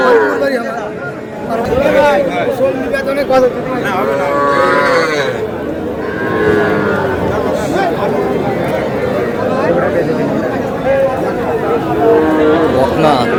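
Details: Young bulls and heifer calves at a Comilla cattle market in Bangladesh give long, steady moos held for a second or more, repeated through a dense backdrop of traders talking and haggling.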